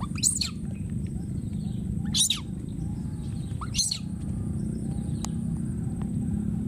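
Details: Wild baby monkey screaming and calling for his friend: three shrill, sharply arched screams spaced about two seconds apart, each brief and piercing, over a steady low background rumble.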